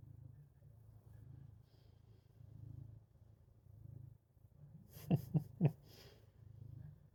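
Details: Pet cat acting as an alarm clock, purring to wake its owner: a soft, low throbbing rumble that swells and fades in waves, broken near the end by a few sharp bursts of human laughter.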